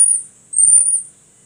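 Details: Baby marmoset kept as a pet in India giving a long, thin, very high whistle that holds steady for over a second with a slight waver, over faint low murmuring.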